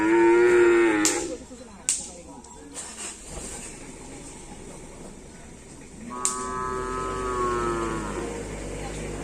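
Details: Cattle at a karapan sapi practice session, Asemanis field, Pamekasan: a steady moo fades out in the first second, sharp knocks and background noise follow, then a second level moo lasts about three seconds.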